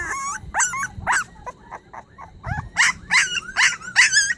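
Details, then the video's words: Puppy crying plaintively as if for help: high, wavering whines and yelps rising and falling, several short cries then a run of louder harmonic whimpers repeated about every half second. "새끼 강아지 살려 달라고 서럽게 우는 소리"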